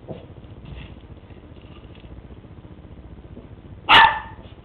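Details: West Highland White Terrier named Lucy, playing with a treat ball for the first time, gives one loud, abrupt bark near the end after a stretch of quiet room sound.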